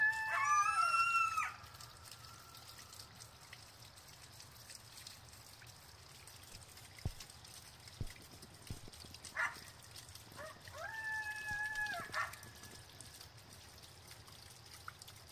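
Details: Coyotes howl near Clow Airport, Bolingbrook: a loud wavering, sliding wail opens the recording, then quieter answering howls.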